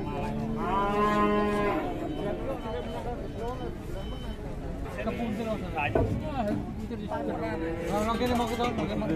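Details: Cow described as having a belly full of flies, moaning in a long, steady, harmonic-rich low moo lasting over a second, followed by men talking in Javanese over a broken, murmuring background.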